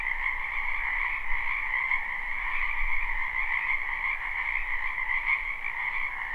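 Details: Spring wetland frogs in full chorus, captured live: continuous layered croaking trills that blend into an even, buzzy wall of sound, with a faint low rumble underneath throughout.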